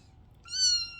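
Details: Kitten indoors giving a single clear, high meow of about half a second, a steady tonal cry with rich stacked harmonics that swells and then eases off, following a quiet room hum.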